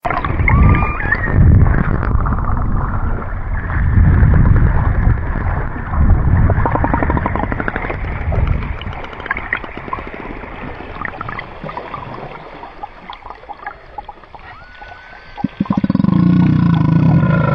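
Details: Killer whales hunting sunfish give rapid, buzzy click trains and brief whistles over heavy low underwater rumble.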